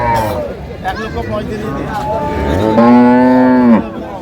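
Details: Improved-breed dairy cow at Ambari livestock market, Dinajpur, Bangladesh: a loud, flat, sustained moo of about one second near the end, after quieter lowing and market bustle.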